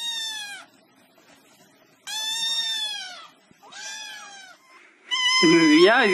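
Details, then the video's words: Three plaintive cat meows separated by pauses, then a person's loud high-pitched voice breaking in at the end. "Funny Cats Meowing"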